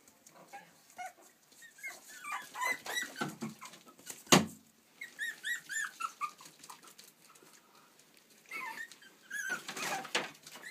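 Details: Several playful Yorkie puppies in Stockport, Cheshire, UK, producing bursts of high-pitched, wavering whines and squeals, with a loud knock near the middle and a final cluster of yelps.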